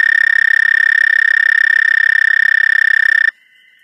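A toad gives a steady, high musical trill that holds one pitch before stopping abruptly.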